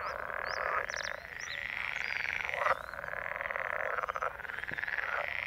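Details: Frogs croaking in May in the marshy Noordpolder at Ossendrecht, Netherlands. A dense chorus of rapid, rattling pulses, with a few thin, high bird chirps above.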